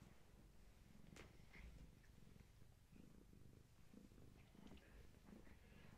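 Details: Gaia, a long-haired tabby mother cat, with her kittens at a bedtime visit indoors; a steady low rumbling purr runs throughout, with a few faint clicks and rustles above it.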